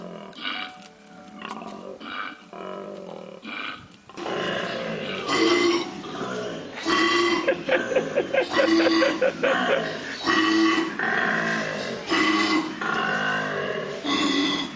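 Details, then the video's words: Koala calling: deep, rasping, burp-like grunts in harmonic bursts. A softer, sparser opening gives way after about four seconds to dense, loud pulses repeating roughly every two seconds, with music playing underneath. "Funny Koalas sounds"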